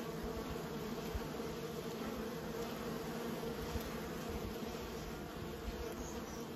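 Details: Steady drone of many domestic honey bees, an even buzzing hum filling the low and middle range, with a couple of faint clicks and no other animals or voices.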